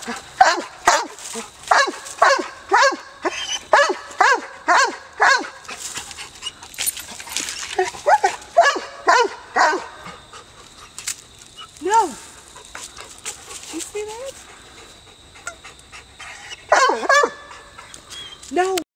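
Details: An American Foxhound gives a rapid run of ringing, arched barks while treeing a squirrel at Perryville Town Park, Maryland.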